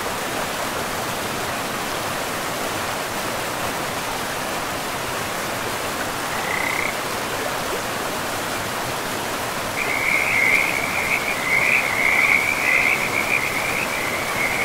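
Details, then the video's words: Frogs by a forest river: steady rushing water dominates at first, one brief croak comes near the middle, then a continuous rattling, pulsed chorus of croaks swells up and carries on to the end. "River and Frogs"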